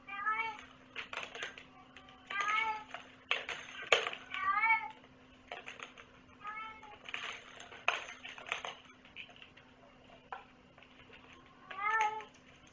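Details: Indoor cat meowing repeatedly with harmonic, slightly falling calls, mixed with rustling, clicks and bursts of human talk, a steady hum running beneath.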